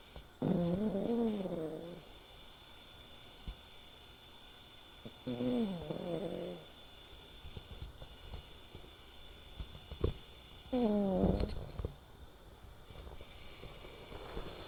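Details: Three low, honking snores roughly every five seconds come from a sleeping five-year-old male American Shorthair named Sora, silver tabby coat. Each is tonal and wavering and lasts about a second, with soft rustling between them.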